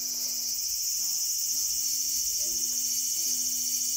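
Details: Steady loud high-pitched cicada drone from a small garden on August 5, 2020, unbroken for the whole stretch, with quiet sustained low tones shifting underneath like distant music.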